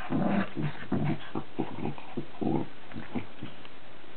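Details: Mock battle between pet dogs Charlie, a Cavalier King Charles Spaniel, and Billy, a Cairn Terrier: low rhythmic grumbling growls pulsing about twice per second, deep and throaty.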